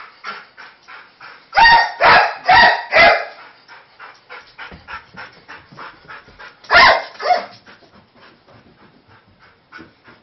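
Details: Weimaraner reacting to fireworks let off nearby: a quick burst of four loud, harsh barks, then a long run of softer, rapid yelping and whimpering sounds, then two more loud barks before the soft yelps resume.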